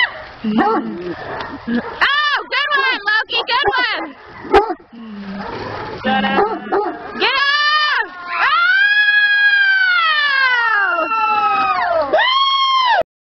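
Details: Big dogs at a 2011 Halloween party tear at a cat piñata. Short yelps and barks come first, then from about eight seconds long, harmonic-rich howls swell and slowly fall. A man cheers and comments throughout.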